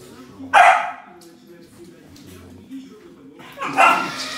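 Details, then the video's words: Samoyed dog playing with a remote-control car gives two loud, sharp barks about three seconds apart, with a low hum and quiet voices underneath between them. "Самоедская собака и машинка на управлении"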